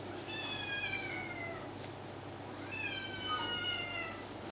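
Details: Kittens Tiger and Max, two months old, play fighting at home; two drawn-out, high, falling mews of over a second each, separated by a short pause, with faint rustling beneath.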